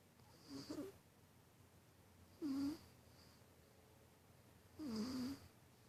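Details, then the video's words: Cat asleep and snoring indoors: three wheezy breaths roughly every two seconds, each a low droning, slightly whistling tone with a soft airy hiss on top, quiet between breaths. "Snoring Cat"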